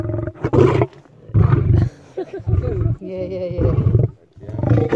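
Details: Lion's rough, low grunting roars repeat about once per second, mixed with a steadier tonal sound partway through and some breathy noise between bursts.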